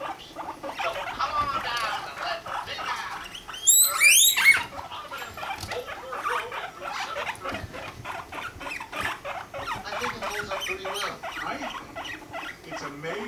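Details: Pet guinea pigs Rumply and Fluff during mating, Fluff five months old; busy rapid pattering squeaks and chirps throughout, with a brief burst of high sweeping squeals near the four-second mark.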